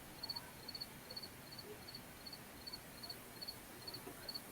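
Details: Crickets in a big tree in a yard, chirping in short doubled high pulses repeated about every 0.4 seconds, steady and faint, over a low background hiss.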